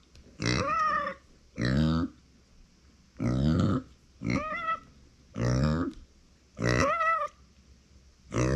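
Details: Lonely cries from Uni, a female pet micro pig born in 2020, when no one is close by: loud, regular squealing calls roughly every second, each a bright harmonic wail with a clear tonal whine running through it.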